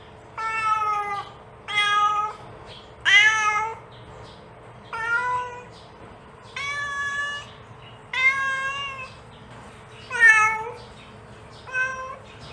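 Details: Repeated meows from a mother cat calling her kittens, eight or so bright, bending calls about every one and a half seconds, some rising sharply at the end, against a quiet humming room.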